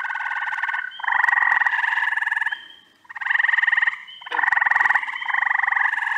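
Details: Frogs calling in upstate New York during the first week of June: coarse pulsed trills lasting one to one and a half seconds, repeated with brief gaps, overlapping one another.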